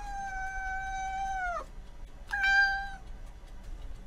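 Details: Domestic cat giving two drawn-out, steady meows, the first about one and a half seconds long and dropping at the end, the second shorter after a brief pause; quiet background.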